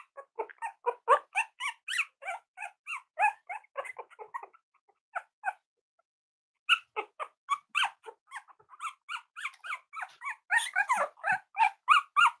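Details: Indoor litter of Cavalier King Charles Spaniel puppies playing with each other and exploring, giving rapid, overlapping squeaky yips and little barks in dense bursts, a brief pause near the middle, then a busier flurry of yapping.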